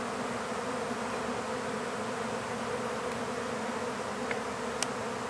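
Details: Swarming honeybees heard while being collected into a hive: a constant low buzzing drone with a few faint ticks near the end.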